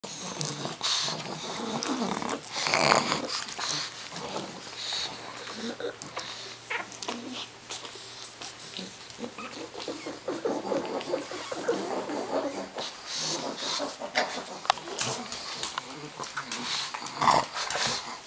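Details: Pug puppies twenty days old playing, with squeaky little growls, grunts and snuffles overlapping almost continuously, and some faint human voices in the background.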